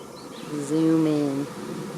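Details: Honey bees from a swarm moving into a bait hive, an empty beehive with swarm lure, in May 2019; a close bee passes with a steady, low droning hum that swells and fades over about a second.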